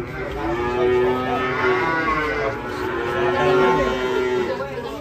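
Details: Rampaging cattle coming down from a truck and stumbling into a ditch. A deep, steady lowing holds almost unbroken for five seconds, swelling twice in loudness, with faint talk in the background.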